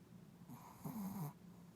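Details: One drawn-out snoring breath from a sleeping puppy, hoarse and airy with a wavering low tone in its second half, over a steady background hum.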